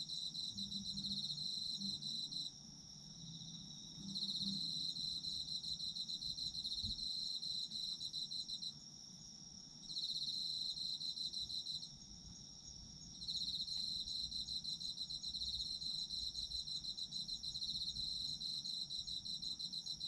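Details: Night-style chorus of autumn insects for sleep: high, fast pulsing trills in long bouts lasting several seconds, broken by short quieter pauses, over a steady high ringing tone and faint low background noise.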